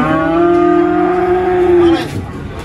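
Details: Cattle being taken to market at Prambanan animal market, giving a single long, steady, low moo of about one and a half seconds that ends abruptly, with faint background noise after.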